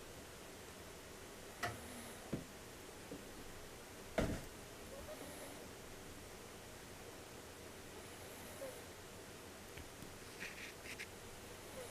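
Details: Soft steady background hiss in a quiet room, broken by a few sharp clicks and brief rustles, with no animal voice heard.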